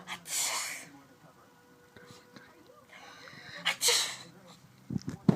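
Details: Dexter, a pet Chihuahua, in a sneezing fit: two sharp, breathy bursts of sneezing close together, followed after a pause by another bright sneeze, with soft human voices murmuring between them and a few low thumps at the end.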